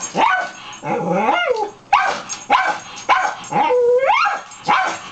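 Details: Indoor pet dog Dusty barks at a person hidden in a coat closet, July 20, 2011; barks mixed with longer drawn-out, rising and falling whine-like howls, about six calls in irregular rhythm.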